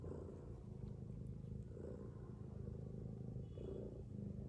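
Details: Mother domestic cat sleeping with her kittens, snoring: soft low rasping breaths that swell roughly every one and a half to two seconds over a steady low rumble.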